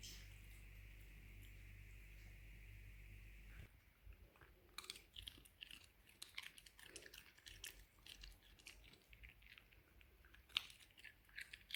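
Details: A steady low hum opens, then a female Shiba Inu eats with loud, wet, irregular crunches and smacking chews in quick uneven bursts, with a few sharper snaps near the end; recorded at the end of 2020.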